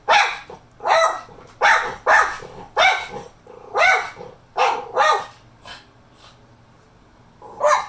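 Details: A female Miniature Schnauzer barks on seeing another dog, sharp repeated bursts of roughly two or three every second.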